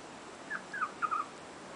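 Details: Puppies from Lola's litter, five weeks and two days old, recorded 13 April 2010: four short, thin, high squeaks, some sliding downward, come in quick succession over about a second against a faint steady hiss.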